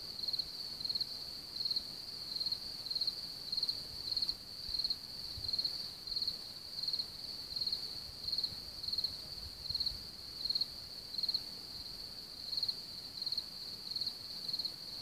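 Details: Dense cricket population near Hamr, Chlum u Třeboně, Bohemia: a loud nearby cricket chirping in regular bursts about every 0.7 seconds above a continuous high ringing chorus, with faint low rumbles around ten seconds.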